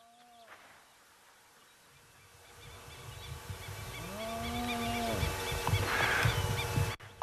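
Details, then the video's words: On the African savanna in Masai Mara or Kruger, excited hyenas circle a lion at a nearly finished carcass among vultures, giving low, drawn-out whoops that rise and then fall, apparently calling for reinforcements. "гиены вызывают подкрепление им нужно больше бойцов больше ажиотажа"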